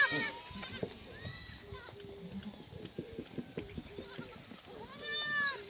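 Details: Free-range black goats at a farm near Muchuksan, Gimhae, Korea, on a clear May morning after rain, fed damp strawberry-plant cuttings; scattered short bleats, a louder quavering one near the end, amid clicks and rustling.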